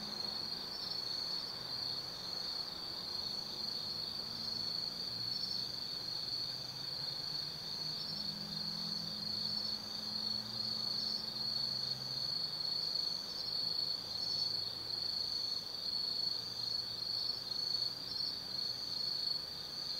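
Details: High continuous insect chorus on an autumn night in a hillside forest above the Nobi Plain, Kaizu, Gifu, Japan, with short repeated chirps on top and a low distant hum of traffic.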